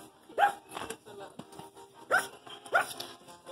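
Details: Pugs vocalizing toward a person, described as talking to them: short whiny yelping calls in small bursts, with people speaking nearby.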